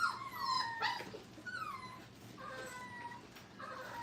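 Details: Five-week-old Brittany puppies at a training kennel, playing together indoors: thin, high whimpering whines that slide and waver, several overlapping in quick succession, with faint room noise.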